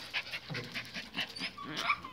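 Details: Pinschers being fitted with collars and leashes for a walk pant rapidly in rhythmic breathy puffs, with a few thin high whimpers near the end while a person tells them to wait calmly.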